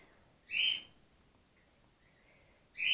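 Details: A female grey-headed flying-fox pup called Gwickle, in care on day two after her mother lost her milk. She gives two loud, high, piercing squeaks about two seconds apart, with faint chirps between them and a quiet background.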